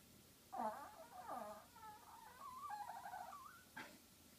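A Yorkshire Terrier squeaks for attention with a string of high, wavering whines.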